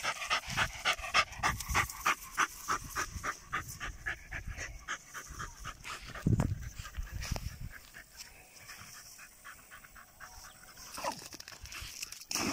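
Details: German Jagdterrier in +45°C heat pants steadily, about three breathy huffs a second for the first six seconds, then slower, quieter breathing with a few rustles.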